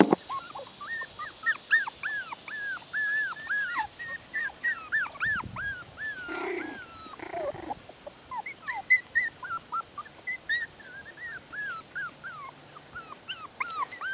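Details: Litter of six-week-old Bichon Poodle puppies at play outside, whining almost nonstop: rapid chains of arched, squeaky whimpers several per second, bursts of yipping in between, rising to louder clusters near the middle.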